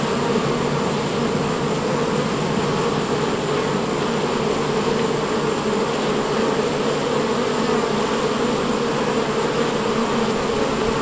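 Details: Worker honey bees at the hive entrance fill the air with a steady, dense drone of many overlapping wingbeats.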